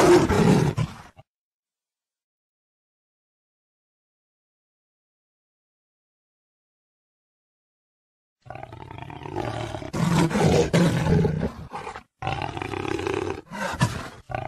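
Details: Jaguar roaring: a brief harsh roar opens, then about seven seconds of silence, followed by a run of rough, grunting roar bursts repeated in quick succession with short breaks between them.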